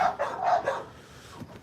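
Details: Excited American Bully dogs that have been waiting, barking as someone enters their area; a quick run of about four harsh barks in the first second, then quieter background.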